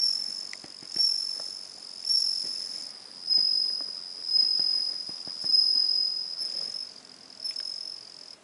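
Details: Singing bell cricket, 17 September 2021: a continuous high, bell-like ringing tone that pulses in loudness roughly once a second, with faint scattered clicks and taps underneath.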